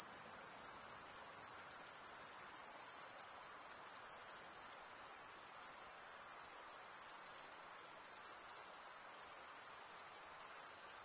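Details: Crickets stridulating, the wing-rubbing chirp made mostly by males: a dense, very high-pitched shrill trill that runs without a break, with a faint rapid pulsing and no other sounds.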